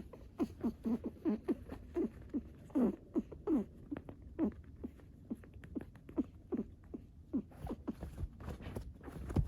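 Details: Female Netherland Dwarf rabbit, excited while digging, giving short soft grunting clucks, many in quick irregular bursts, each a brief low downward-curving note, with a faint scratching patter between them.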